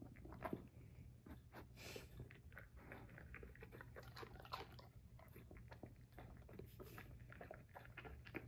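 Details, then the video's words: Basset Hound Vincent chews romaine lettuce in a dense run of wet, crackling crunches, with bites following each other closely, over a steady low background hum. "My Basset Hound dog Vincent munching on some romaine lettuce."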